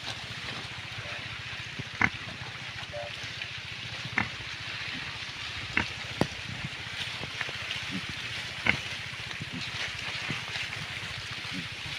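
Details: Steady hiss like sizzling or running water, with scattered sharp clicks and knocks and no animal voice.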